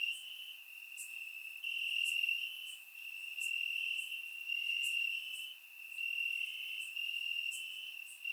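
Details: Crickets in grass on a warm summer night, Bulgaria, surround-microphone capture; a constant high trill rises and falls in loudness, accompanied by regular faint high-pitched clicks about once a second.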